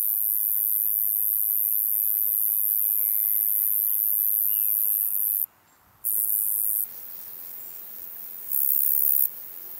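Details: Roeseliana roeseli in Maising, Germany, 8 July 2020, producing a steady piercing high-pitched buzz that stops and restarts, fading to a softer level partway. Two faint upward-sliding bird whistles are heard early on.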